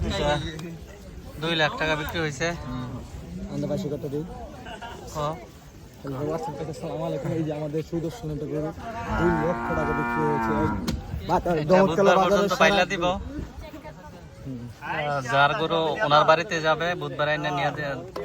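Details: At a cattle and goat market on the Dhanpati Khola Primary School field, a cow gives a deep, sustained moo midway through, framed by men talking and bargaining close by and general market noise.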